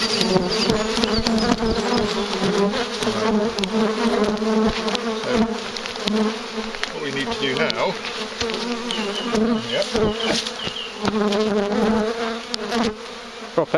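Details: Large, highly active bee swarm near a farm during collection, giving a thick, unbroken droning hum with layered steady tones, broken by occasional knocks and clatter, with Dutch voices nearby.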